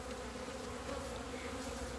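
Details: Buzzing honey bees on 17 February 2020, finally out of the hive in the sun after two months; a dense, even drone with a little low rumble beneath.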